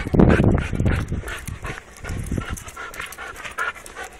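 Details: A restless Labrador Retriever pants in quick, uneven breaths with faint tonal whines. A louder, rougher burst comes at the start, and the breathing then settles into a softer, steady rhythm.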